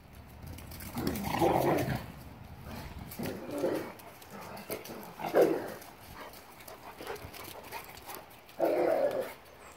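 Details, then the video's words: German Shepherd Boxer mix dogs at play, recorded January 26, 2021; four bursts of rough, mid-pitched growling barks spaced a few seconds apart, with quieter scuffling and a faint voice between them. "German shepherd boxer mix. Dogs playinng."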